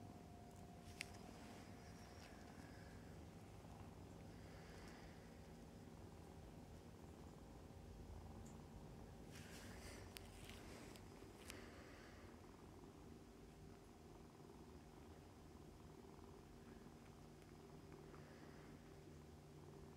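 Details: Continuous low throbbing purring from a litter of seven foster kittens nursing from mother cat Mummy, Humane Society of North Texas; the rumble runs unbroken throughout, with brief scratchy rustling bursts around ten seconds.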